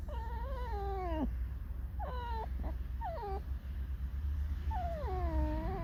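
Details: Indoors, a pet red fox creaks and sings a sorrowful song, a run of loud wailing whines, each wavering then dropping sharply in pitch, four cries in about six seconds over a low hum.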